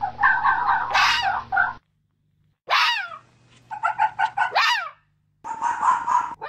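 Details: Fox vocalising in the mating season: rapid pulsed chattering runs broken by two harsh, steeply falling screeches, with brief silent pauses in between.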